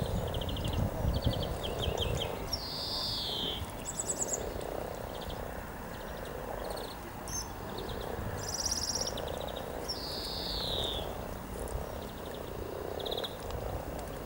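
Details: Hundreds of frogs mating by a riverside walk near Cow Tower in Norwich on 7 April 2013, a spring day: low, soft croaks overlap in a steady chorus, with bright bird chirps above and constant background hiss.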